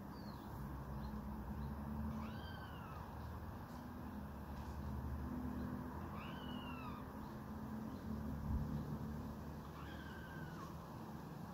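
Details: Meowing cries of a red squirrel warning off a rival so that fighting is not resumed. Three arched, descending calls arrive about four seconds apart, each slightly hoarse, over constant low background hum.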